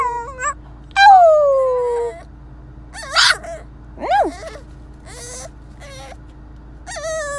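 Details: A French Bulldog puppy whines in high, falling tones broken by short yips, protesting at being kept in his new car seat.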